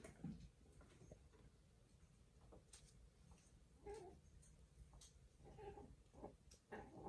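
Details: Kittens playing together indoors give a few soft, short mews near the middle and end, set against light thumps, rustling and scuffling of play.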